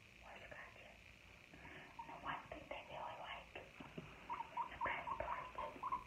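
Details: Guinea pig indoors: a soft rustling, crunching stretch gives way to a quick run of short, low squeaky notes repeated several times per second toward the end.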